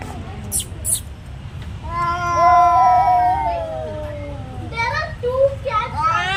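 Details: Domestic cats in a territory fight: a long, wavering, drawn-out yowl swells and sags for about two seconds, then breaks into shorter, harsh, rising wails near the end over a low background rumble.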